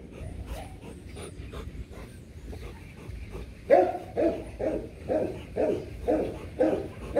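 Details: Rottweilers Loki and Siro in the middle of mating, which took several falls to complete. Quiet at first, then a sudden string of seven regular, mid-pitched whining yelps, roughly two per second.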